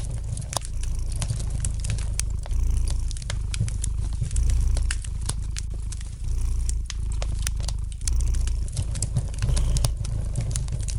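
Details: Domestic cat purring gently beside a fireplace: a steady low rumble that swells and eases with each breath, roughly every two seconds, under sharp crackles and pops from the burning fire.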